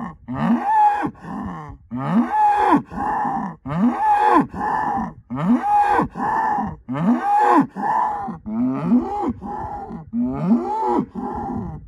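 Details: Rhythmic bellowing from an Angus herd sire bull, a son of SAV Harvestor 0338 born in spring 2018. Paired hoarse moos repeat steadily about every second and a half across the whole stretch, loud and close.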